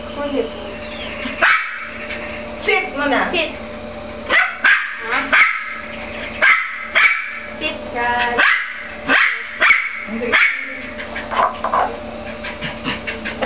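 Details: Jack Russell Terrier playing with a frisbee, giving sharp, high, excited yaps in a rapid series of around a dozen bursts at uneven intervals over thirteen seconds, with people's voices in the background.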